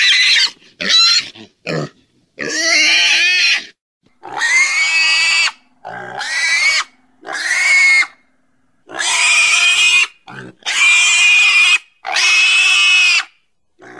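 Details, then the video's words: Pig squealing loudly and repeatedly. Long, shrill, strained screams last about a second each, separated by short silences, with a few brief grunting snorts at the start. "Domuz sesi🐷Pig's voice🐖Schweinsstimme🐷Donuz səsi🐖豬的聲音🐷la voix du cochon"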